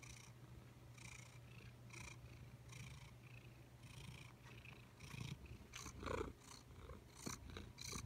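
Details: Indoor office cat purring in a continuous low rumble with rhythmic breathy pulses about every 0.7 seconds, growing louder and more uneven toward the end with a few brief rustling knocks.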